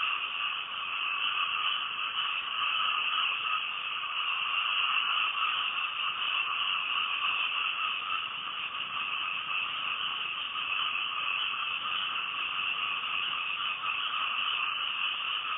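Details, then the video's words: Frogs calling at night, recorded from a house in Thailand: a dense, unbroken chorus of overlapping trilling calls in two steady bands, one mid-pitched and one higher and brighter, running at an even loudness throughout with no other clear sounds. "Night Time Frog Sounds"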